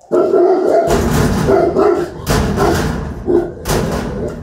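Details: A big Rottweiler in action, barking hard: deep, harsh barks in quick bursts, about six in four seconds, with thumps between them.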